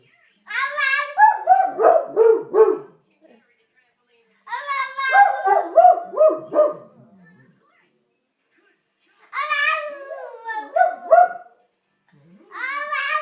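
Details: Watson the dog howls along with a baby in a small room: three long bouts of quavering, sliding howls, each a few seconds long and separated by silences, the child's babbling voice blending with them.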